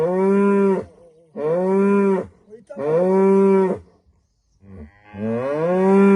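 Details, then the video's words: Morning lowing of a female cow in rural Rwanda, greeting the sunrise. Three full moos follow each other closely, then a pause and a final moo that rises and swells louder toward the end. "Morning Moo from Rwanda 🇷🇼 | A Cow’s Call to Life at Sunrise"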